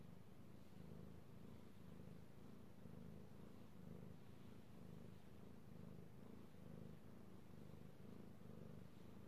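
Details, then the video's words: Purring from Io the cat, a male pet who loves being petted, recorded 3/16/18: a continuous deep rumble swelling and easing in repeated breaths, roughly once a second, with a quiet background. "Petting Io the Kitty Cat / ASMR Cat Purring"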